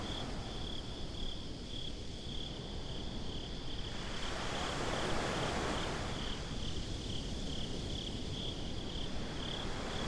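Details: Night-time beach crickets keep up a thin, high, pulsing trill while a surf wave swells and washes in midway, then recedes under a steady low roar.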